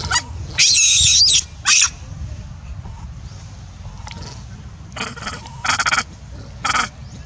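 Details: Newborn wild monkey Valentin in the forest of the Angkor Park Area, crying loudly after its mother pushes it down and denies it milk; shrill, harmonic screams in separate bursts, the longest near a second, with quieter gaps between.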